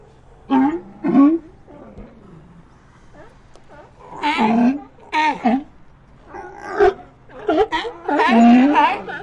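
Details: Sea lions heard in an ambient recording: loud harmonic barks and bawls in separated bursts, some with wavering, sliding pitch, spaced by short pauses over about nine seconds.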